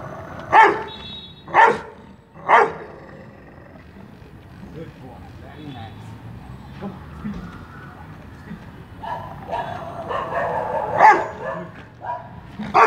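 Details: Rottweiler in Mumbai, barking on command during attack and speak training with a professional trainer. Three loud, sharp barks about one second apart open the recording. Then comes a quieter stretch with a man's voice and scattered noise. More barks and praise come near the end.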